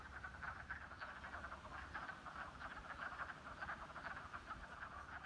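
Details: In early spring, with ice on the pond two days earlier, a chorus of wood frogs at a pond gives rapid, duck-like clucking croaks to attract mates.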